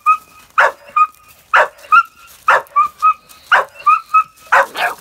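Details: Working-line Bull Terrier puppy with a rat: five sharp, harsh barks spaced about a second apart, each separated by thin, high, steady whining squeals that hold level between the barks.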